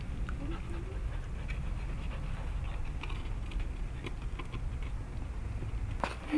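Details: Teething Labrador Retriever puppies pant in quick, soft, rhythmic breaths, low and airy, while a person talks over them and small clicks and knocks sound in the background.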